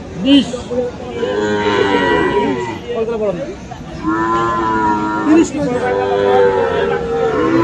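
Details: Friesian and crossbred bulls and calves at Aftabganj livestock market, Dinajpur, Bangladesh, 21 February: several overlapping lowing moos, wavering and sustained, over a steady background of crowd noise.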